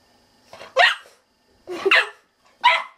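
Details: Bernie, a pet dog, barking indoors in a small room: three loud, harsh, broadband barks roughly a second apart, the last one shortest, with quiet room tone between them.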